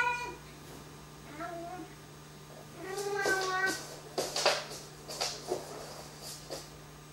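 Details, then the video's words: Pet cat talking a little indoors: a few short harmonic meows and chirps early on, then a longer wavering, rising-falling meow near the middle, followed by clicks and rustling handling noises, with a steady low hum throughout. "Tiggy the talking hello Cat Talks a little."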